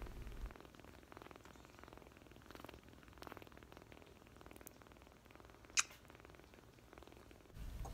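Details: An orphaned foster kitten, wrapped snugly in a blanket for comfort, calms immediately and purrs softly and steadily, a low rhythmic rumble of contentment.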